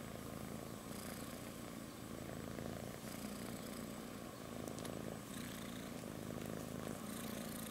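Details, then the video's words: Continuous low purring from a sleeping kitten resting on its mother's belly, an even rumbling drone with occasional soft rustling and small clicks. "Adorable Purring Baby Cat Sleeps on Mom's Belly"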